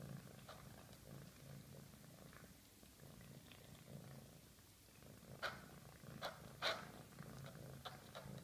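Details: Low, soft purring from a hungry female cat as she eats, a quiet rumble underneath, broken by sharp chewing and licking clicks that grow louder toward the end.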